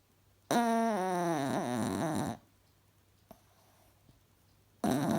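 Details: Alfie, a cross-eyed pet Chihuahua, snoring while asleep indoors: a long buzzy, rattling inhaled snore of about two seconds with a wavering tone, then a quiet pause before the next snore begins.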